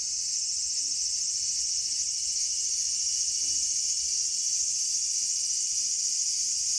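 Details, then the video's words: Cicada calling in a small garden on August 5, 2020: a continuous, shrill, high-pitched electric buzz held at a steady loudness throughout, with a faint rapid pulsing texture and no other clear sounds. "The sound of Cicada."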